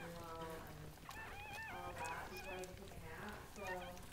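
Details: Goldendoodle litter of seven newborn puppies born to the mother Sandy at a breeder's home; high, wavering squeaky whines rise and fall in quick bursts over low murmuring voices.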